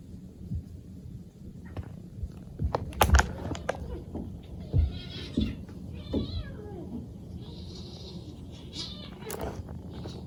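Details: Early morning walk with a rescued three-month-old kitten and an adoring fifteen-month-old cat; a few wavering, harmonic meows in the second half, mixed with sharp knocks and rustling footsteps against a low background rumble.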